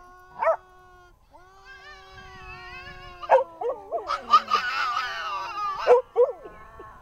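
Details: Two dogs, a Siberian Husky and a second dog, singing together indoors: long steady howled tones that hold and waver, overlaid by shorter yips and rising whines, voices overlapping toward the end.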